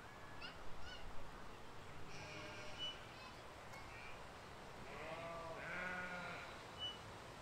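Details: Field of grazing sheep and lambs, filmed spring 2020; small birds twitter early on, then a drawn-out, wavering baa rises over steady low background noise near the end.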